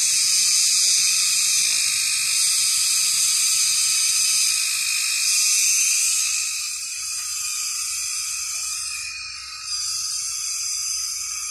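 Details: A large blue cicada clinging high in trees gives a steady, high, shrill buzz with faint regular pulsing at 6 pm in summer. The owner read that the calling attracts mates.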